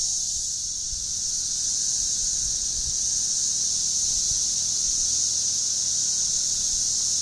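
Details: Cicadas calling in a steady, unbroken high-pitched drone that holds an even shrill buzz from start to finish, with no pauses or changes in loudness, over faint low background rumble.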